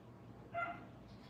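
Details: Five-week-old Brittany puppies learning to crate train. A single short, high puppy yip with clear stacked harmonics rises out of a steady low hum, then the room settles back to faint background noise.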